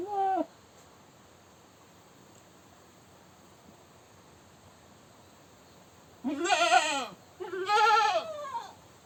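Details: A goat gives loud, wavering screams: a brief cry, a quiet pause, then two long calls.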